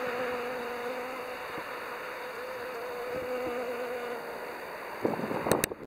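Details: A western honey bee foraging on red clover in a suburban neighbourhood in October gives a steady, low, wavering buzz over soft background hiss.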